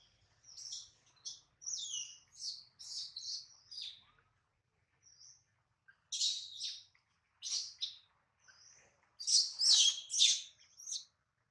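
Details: Hungry baby monkey Adler, missing his mom, held by a small monkey, lets out runs of short, piercing high squeals in quick clusters, pauses for a moment, then resumes with louder, denser shrill cries.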